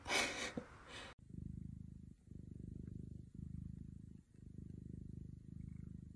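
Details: Pet cat purring in steady low rumbling bursts, each roughly a second long and separated by brief pauses as it breathes in and out, after a short burst of louder rustling noise at the start.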